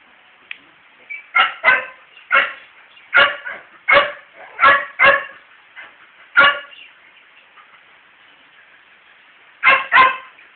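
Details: Courting male dog barks at a female, unsuccessfully: a steady run of sharp, clipped barks about every half second to second, a pause, then a final close pair.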